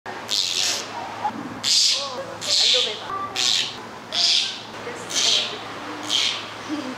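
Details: Captive flanged male Bornean orangutan at a zoo giving kiss squeaks: seven sharp, hissy, high-pitched squeaking bursts, each under a second, spaced roughly a second apart over steady background hum.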